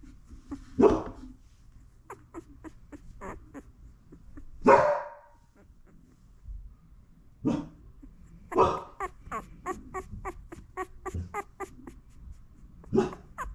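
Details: Mother Labradoodle tending newborn puppies indoors while licking and cleaning them; loud barks every few seconds, interspersed with rapid clicking licking sounds and soft rustling.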